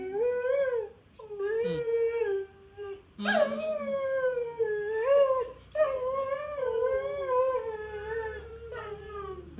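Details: Pet dog howling as it sings along with its owner: long, wavering tonal howls that slide up and down in pitch, several drawn-out notes broken by short pauses.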